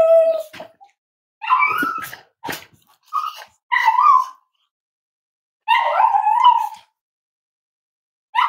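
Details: Five-week-old Cavalier King Charles Spaniel puppies from Myra and Remy's litter at Red Barn Cavaliers, indoors on a chilly Thursday morning around weight checks, give high harmonic whines and short yips in scattered bursts separated by silent gaps.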